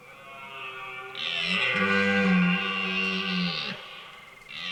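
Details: A red deer stag bellows in the autumn rut, a long, deep, throaty roar rich in harmonics that swells then breaks off, in a forest near Hourtin, France, in the evening.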